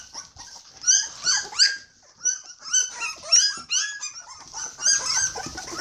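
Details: A litter of hungry Border Collie puppies, 21 days old, squeaking in high, thin bursts of whines, clustered in short runs with brief quiet gaps, mostly clean of other noise.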